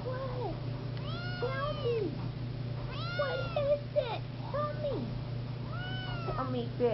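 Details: Seal point Siamese kitten calling repeatedly indoors, five or six drawn-out arching meows, some with wobbling pitch, a woman's voice speaking softly between them and a constant low hum underneath.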